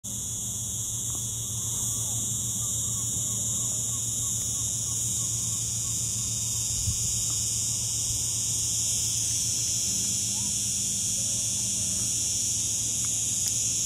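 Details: A cicada in Lagos, Portugal, producing a steady, high-pitched, unbroken buzzing drone. A low hum and faint voices sit in the background.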